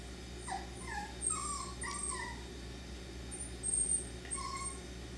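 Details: F1b Cockapoo puppies, three-quarter Miniature Poodle and one-quarter Cocker Spaniel, at Dyer Farms: several short, high whimpers sliding downward, spaced irregularly over a steady low electrical hum.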